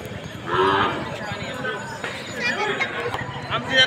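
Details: Cattle at the Bail Pola festival in Umbre, India, 2021: a drawn-out, nasal moo rises early and then trails off, over a busy background of music, applause and people's voices.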